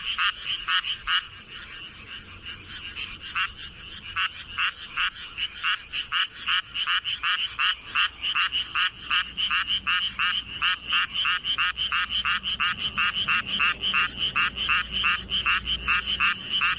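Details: Paddy-field frog calling with a greatly swollen throat, part of the dusk chorus once fields are flooded; long unbroken series of harsh rasping croaks, nearly three per second, very even.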